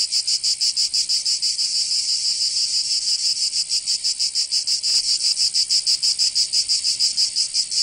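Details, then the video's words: Cicadas in the south of France, Provence, during summer; strident high-pitched buzzing beats rapidly in a steady rhythm, with a brief faint click near the middle. "Canto Cigarra 🦗 [ Escuchar les cigarras en verano 10 H]"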